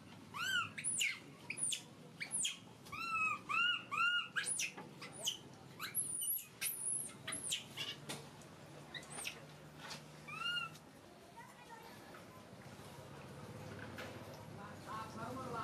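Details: Crying baby monkey, a household pet, gives bursts of high shrieks and clear tonal whines in quick succession, fading after about ten seconds into quieter rustling and low room noise.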